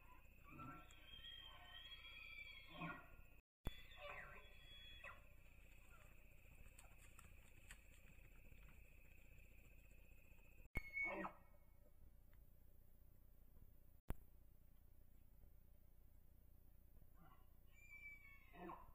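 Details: Bull elk bugling during the rut on public land in Idaho, caught by a cell trail camera while chasing cow elk. High whistled tones rise, then hold steady in two long bugles, with a shorter rising whistle near the end and a few sharp clicks.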